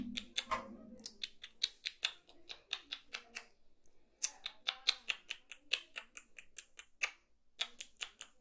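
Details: Kitten chewing food, dense crisp crunches and clicks coming in quick clusters of several per second, bright and dry, with a short soft low murmur at the start and brief gaps of silence.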